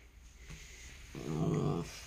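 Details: Pet dog named Dogeu, indoors in a kitchen before dawn, excited over a strawberry from its owner, gives a low, rumbling grumble that swells for under a second amid quiet room noise.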